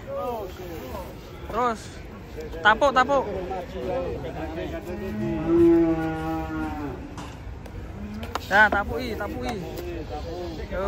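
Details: Cows coming down off a truck, some tumbling: loud human shouts early on, then a long, steady moo that dips in pitch and holds for about two seconds, followed by more shouting over a low vehicle drone.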